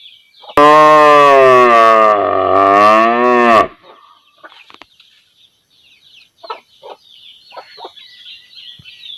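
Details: Standing village cow mooing for her calf: one loud, rich moo of about three seconds dipping slightly in the middle, followed by background bird twitters and clucking fowl.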